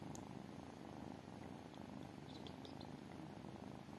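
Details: Tiny kittens purring steadily, a continuous low rumbling throb that runs unbroken through the whole stretch, with faint soft ticks and rustles above it.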